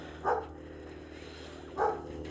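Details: Two short, mid-pitched dog barks about one and a half seconds apart, distant over a steady low background hum, heard from an outdoor quail aviary on 14 February 2024 amid many quail calls.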